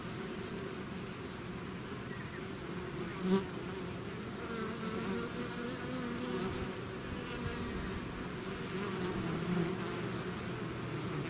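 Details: Swarm of bees emerging from the hive, heard as a thick steady buzz whose pitch wavers slightly as individual bees pass near, with one brief knock early on.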